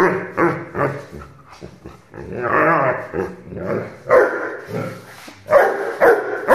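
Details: An 8-month-old Rhodesian Ridgeback puppy gives sharp, irregular barks mixed with longer growling, whining sounds.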